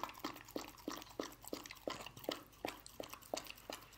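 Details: A pet dog eating canned dog food indoors in a small room: quick, irregular wet chewing and licking clicks, roughly two to three per second, steady throughout with no barking.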